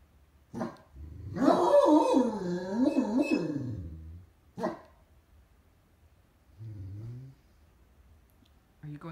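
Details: Great Danes kept as watch dogs, lying comfortably on a bed indoors while watching what goes on outside. There is a drawn-out, wavering, moaning grumble of about two and a half seconds, with short sharp sounds before and after and a brief low murmur later.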